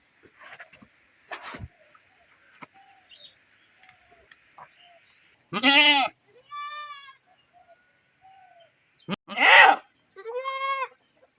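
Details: Domestic she-goat separated from her herd, crying while her ill kid stands beside her; two loud bleats each followed by a thinner, higher bleat, possibly from the kid, amid scattered clicks and knocks.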